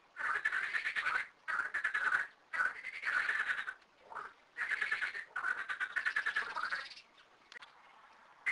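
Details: Thirteen frogs at two small garden ponds croaking together; pulsed, rattling bursts of about a second alternate with quiet gaps, and the calling fades toward the end.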